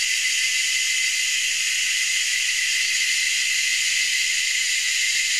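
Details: In Anstead, Queensland, Australia, three or four cicada species call together from the treetops, producing a relentless high-pitched shrilling drone that stays level and unbroken for over five seconds, with no other clear sounds.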